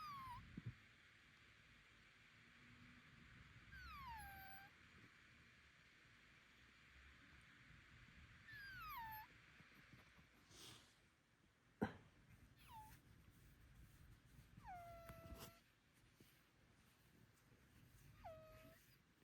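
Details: Indoor Bengal cat taken to a vet for strange noises, possibly from illness, nasal breathing or allergy. Several falling, whining calls follow each other, some long, some short and clipped, with occasional knocks and clicks in between.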